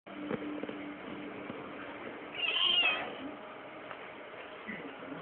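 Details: Domestic cat giving birth to kittens: one short, high, thin mew rises and falls around the middle, standing out briefly over steady low background noise and faint knocks.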